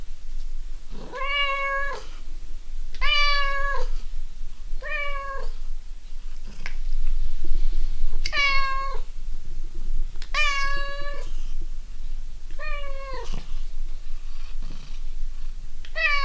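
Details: Domestic cat calling indoors, a series of about eight drawn-out, rich-toned meows, each about a second long and spaced a second or two apart, some rising then falling, over a low steady hum.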